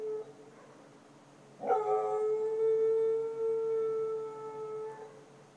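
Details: Dog howling at night in Chiayi county, Taiwan, 2014: a single sustained, steady-pitched howl lasting over three seconds with rich overtones, slightly wavering near the end, over a faint hum of background noise.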